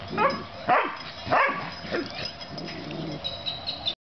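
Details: Oreo and Brutus, two puppies in play, let out a quick burst of three or four squeaky upswept yips within two seconds, followed by softer scuffling sounds and light hiss.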